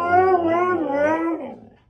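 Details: A Siberian Husky indoors gives one long wavering howl, smooth and tonal with rich harmonics, bending down then up before fading out within two seconds.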